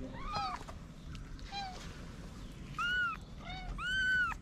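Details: Stray mother cat hiding her newborn kittens in a paper box in Morocco; about five soft, arched meows spaced irregularly, some faint and brief, over a low background rumble.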